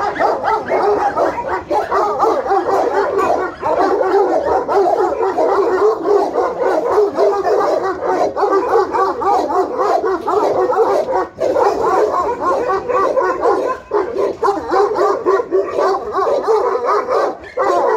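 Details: Alabai and Tibetan Mastiff guard dogs in Pogoanele, Buzău county, Romania, barking in a dense, unbroken chorus, many overlapping voices with no pause across the whole stretch.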